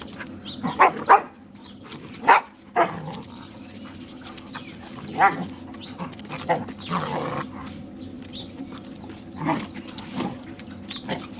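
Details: Two dog friends at play, the Borador barking to protect its owner from the German Shepherd; scattered single barks, a couple close together at the start, others spaced several seconds apart, with soft rustling between.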